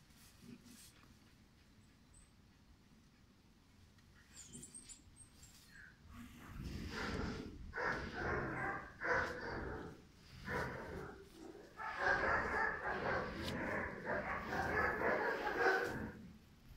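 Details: Five-month-old German Shepherd puppy named Pirat, bred for sport or police work, barking in harsh, rapid bursts of roughly two per second after a quiet opening with faint bird chirps. There is a short pause midway through the run.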